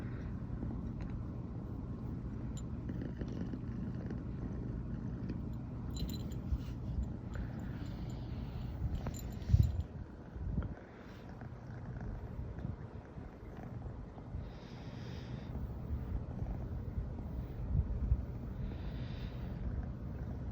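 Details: Riri, a female brown tabby American Shorthair born 15 September 2020, purring nonstop in the morning after first sleeping together; a steady low rumble with a rough pulsing texture and a few soft rustles.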